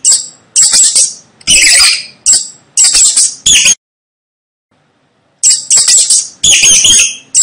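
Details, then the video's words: High, chittering rat squeaks in quick bursts, then nearly two seconds of silence before the squealing resumes. "Tiếng chuột kêu Hình ảnh và tiếng kêu con chuột"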